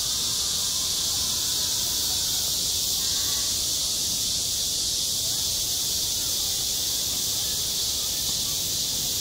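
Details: On a school sports ground in midsummer, cicadas keep up a constant piercing buzz across the high frequencies, level and unbroken over nine seconds, while soft scattered sounds and low ambient noise sit far below.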